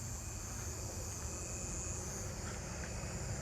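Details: Steady low rumble of distant traffic and wind, with no animal calls standing out. A faint constant hiss sits high above the rumble, but no clear frog or insect voice emerges.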